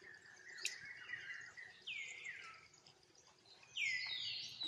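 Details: Tiny monkey crying out to its mother for help; a few piercing, high cries that swoop downward, separated by quieter pauses, with a soft noisy background.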